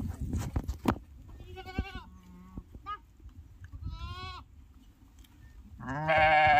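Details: Lamb with an injured, broken leg calling during bandaging: several short quavering bleats spaced a second or two apart, then a louder, harsher bleat at the end, over low handling noise and faint talk.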